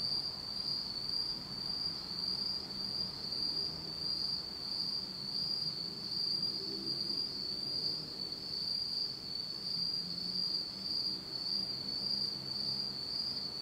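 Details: Autumn night insects in Japan heard in complete darkness, a continuous shrill high-pitched trill with gentle rhythmic swells, over a soft low hum.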